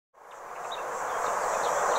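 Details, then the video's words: Tibicina haematodes, the red cicada, recorded at a motorway rest area in the Vienne department, France, on 27 June 2023; a dense, steady buzz starts abruptly from silence and swells in loudness, with a thin high hiss above. "CIGALES Rouges/Tibicina haematodes/Chants"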